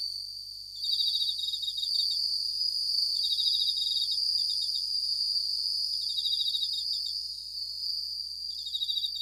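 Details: Japanese bell crickets (suzumushi) sing at night, a high ringing trill with bursts of bright pulsed chirps.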